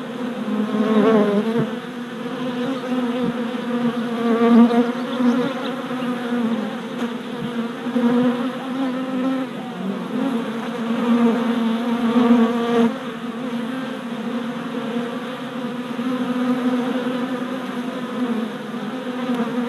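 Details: A crowd of worker honey bees on orientation flights at a hive installed four days earlier, 27 April 2017, GoPro Hero Session 5: continuous low droning buzz with individual bees swelling past the microphone now and then.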